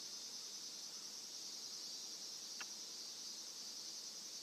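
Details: Cicadas singing while a Somali cat stands upright at the sound; a steady, dense, high-pitched buzzing drone runs unbroken throughout, with a single brief click near the middle and no crow calls audible.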